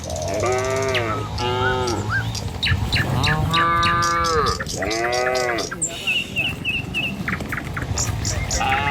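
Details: Tame village cattle, dozens walking in the morning along a village road toward their pen, give several long, drawn-out moos in overlapping pairs, with harmonic rising-and-falling tones. Chirping birds and a faint high whine run in the background.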